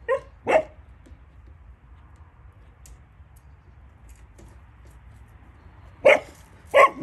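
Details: Caucasian shepherds, Mioritic shepherds and stray dogs saved for adoption in Romania: a single sharp bark is followed by a long quiet gap, then two more loud barks in close succession near the end.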